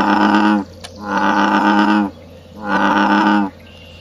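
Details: Frogs calling at night in their natural habitat, giving three sustained, buzzy, nasal croaks, each over half a second long, with a low steady hum underneath.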